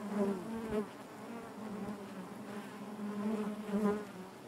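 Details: Steady low buzzing of many honey bees within the hive, a harmonic-rich hum that rises slightly in loudness at the start and near the end.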